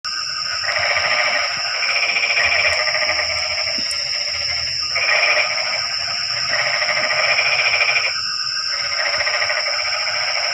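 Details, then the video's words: Frogs calling on a rainy night, their voices livening up the quiet. Rasping, pulsed croaking comes in bouts of one to three seconds with short gaps. A steady high whine runs underneath throughout. "Suara kodok hujan meramaikan suasana sepi malam ini"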